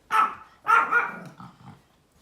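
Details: Small Pomeranian barking outdoors: two sharp, harsh barks, then softer throaty grumbles trailing off. A person nearby asks about deer outside.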